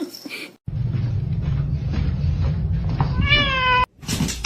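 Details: Domestic cat giving a single short meow that rises then levels off near the end, heard over steady low rumbling background noise, with abrupt cuts before and after.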